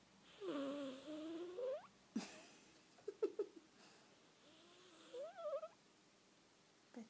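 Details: Domestic cat making unusual noises while asleep: a drawn-out wavering whine of over a second, a few soft clicks and snorts, then another short rising and falling squeak, all quiet in a still room.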